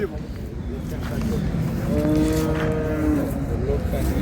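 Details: Improved-breed dairy cow with calf at Ambari livestock market, Dinajpur, Bangladesh: a drawn-out lowing moo swelling in the middle, while men bargain over the price nearby.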